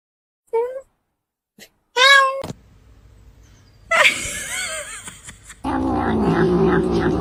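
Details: A cat makes two short meows: a quick, faint one, then a louder, wavering cry about a second and a half later. People talking and a steady background hum follow.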